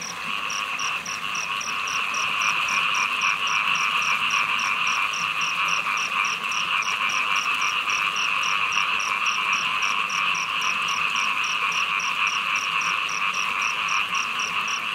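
Many small frogs call together in a continuous buzzing chorus, over which a sharp, high ticking repeats several times each second. Steady rain hisses underneath throughout.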